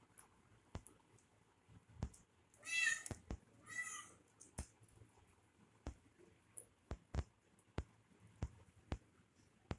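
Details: Baby kitten at play with a person, two short harmonic meows about a second apart near the start, followed by a run of sharp taps and clicks from the game.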